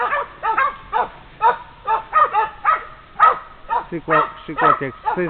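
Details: Female Polish Hounds bark at a wounded wild boar found after tracking. Tonal, harmonic barks come about twice a second, mixed with a hunter's voice urging the dogs on.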